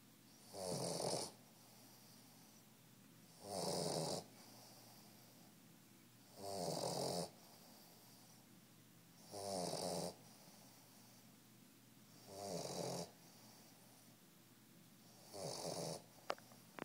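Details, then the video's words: Sleeping three-month-old Old English Bulldog puppy snoring steadily, six rough rattling snores spaced about every three seconds, each lasting under a second, quiet room between breaths. "Old English Bulldog snoring"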